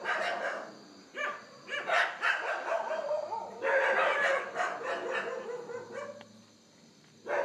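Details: Indian wild hog, low-light Canon Handycam recording from India, producing loud, rasping, harmonic squeal-grunts in irregular bursts that quieten toward the end before one last loud call.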